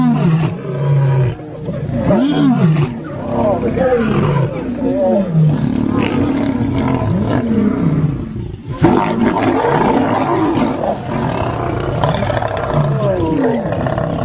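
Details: Fighting lions within a pride, heard as low, rolling roars and growls with arching pitch sweeps, repeated in bursts every second or two over a loud, crowded background of snarls.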